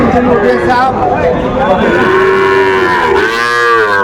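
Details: Sahiwal bull calves at a cattle market in Bangladesh on 11 November 2024, where a Dhaka farmer buys small calves: overlapping drawn-out moos, one long level call and then a rising, wavering one, over steady crowd chatter and bargaining voices.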